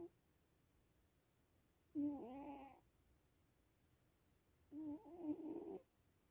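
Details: Sphynx cat asleep and snoring: two breathy, hummed snores about three seconds apart, the first short and falling, the second longer and wavering, in a quiet room.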